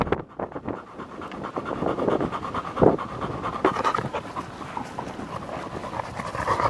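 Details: Panting of a field-line Labrador Retriever at ball play: quick, rhythmic breathy rasps that grow stronger after a quiet start, with a few sharp thuds along the way.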